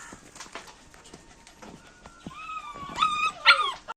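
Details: A pet dog gives a short burst of high, wavering whines that rise and drop sharply over about a second. Softer shuffling and clicking noises come before them.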